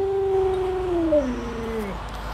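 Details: Luoluo, a pet Alaskan Malamute whose owner lies sick in bed, lets out a steady tonal howl that holds level and then glides smoothly downward at the end, over a faint low background hum.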